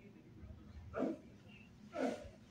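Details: Rocky, a six-month-old Shih Tzu in obedience training in Augusta, Georgia, gives two short, sharp barks about one second apart against a low steady background hum.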